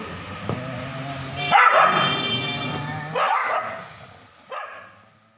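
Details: Street dogs fighting badly in Kolkata, 2023, give three bursts of rough, high-pitched barking and yelping, each fading within a second, over a continuous low background hum.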